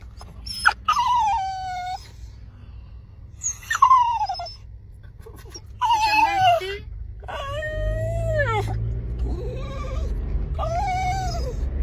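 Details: Kooikerhondje excitedly whining at a dog run; a series of long, high, wavering whines that slide downward, some rising at the end, repeated every one to two seconds, over low rumbling background noise.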